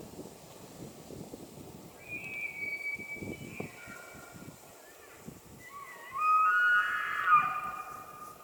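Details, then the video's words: Elk bugling during the rutting season in the White Mountains of Arizona: a thin whistled note first, then a louder, rising and falling high bugle with layered overtones lasting over a second, over a low outdoor rumble. "Elk Bugles | the HAUNTING SOUND of rutting season"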